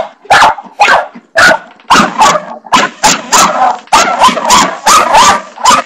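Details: Pet dog Barney barks at a bathroom doorstopper, a fast, uneven volley of about a dozen sharp, noisy barks in six seconds, some doubled, with almost no gap between them.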